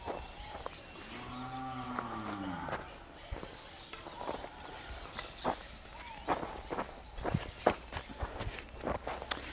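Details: Cattle on a farm in El Salvador, a herd including Sardo Negro and crossbred half-blood animals: one low, harmonic moo swells and falls over about two seconds, followed by footsteps, shuffling and men talking nearby outdoors.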